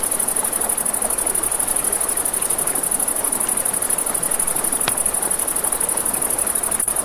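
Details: Riverside crickets at night give a bright, unbroken, rapidly pulsed trill, accompanied by a crackling campfire with a couple of distinct pops and the low rush of the river.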